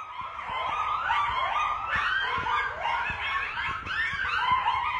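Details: At night, a pack of coyotes, at least 10 by estimate, howls and yips together, many wavering high voices overlapping in a continuous chorus.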